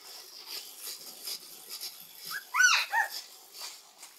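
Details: Shiba Inu puppy Akira, between five days and six weeks old: after quiet rustling, one sharp rising whimper with bright harmonics, then a shorter falling yelp.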